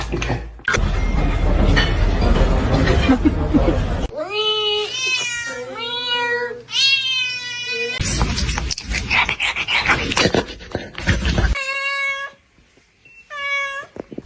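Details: Kitten meowing and crying: a run of high, harmonic-rich mews, several rising then falling, some paired in quick succession, broken by stretches of noisy clatter and speech-like sound, with a low steady hum beneath.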